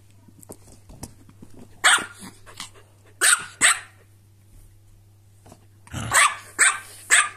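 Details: Toy fight between a corgi and a silky terrier: scattered bright barks in pairs, then a rapid run of four barks near the end, with scrabbling sounds and a constant low hum beneath.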